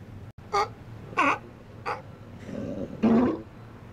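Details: Resident Steller sea lions relax in an outer harbour on a sunny winter's day in January; three brief bleating calls spaced irregularly, then a longer, rougher, drawn-out call, with a faint low hum beneath.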